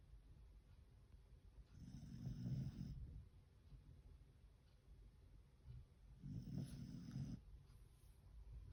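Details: A Beagle named Fukuko sound asleep after lots of walking and play, snoring in two slow, deep rasping breaths about four and a half seconds apart, with quiet room hush between.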